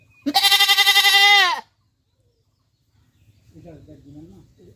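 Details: A single loud, quavering goat bleat from Pakistan, about 1.3 seconds long and pulsing rapidly, followed by silence and then a faint low voice-like sound.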